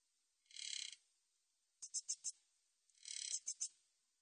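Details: Min's bush cricket, recorded in 2020: a drawn-out shimmering buzz, then four crisp ticks, then another buzz ending in ticks, very high and dry with no other sounds.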